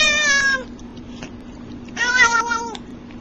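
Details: Domestic cat making funny sounds indoors: two short, bright meows, the first at the start and the second about two seconds later, each slightly falling in pitch, over a faint steady low hum.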